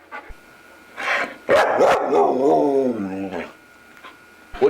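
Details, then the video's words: Talkative foster dog Luca makes a short harsh burst, then a long, warbling, tonal moan that wavers and slides downward; human voices and faint music in the background. "The MANY Sounds of Luca"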